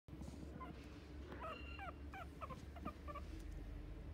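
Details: A Chihuahua gives a series of short high whining yelps, rising and falling, several in quick succession midway, over a loud constant low rumble of background noise.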